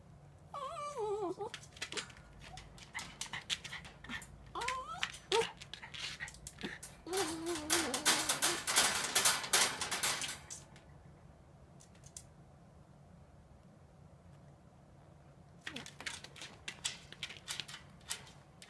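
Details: Norfolk Terrier whining and yelping in the morning, making a fuss to be let out of its pen; rising, wavering whines early on, then a dense burst of rattling as the pen entrance is banged, more knocking near the end.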